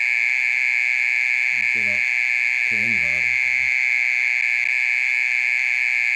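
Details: Mole cricket calling at night: a constant shrill churring tone held without a break. Two short bursts of quiet human speech come through underneath.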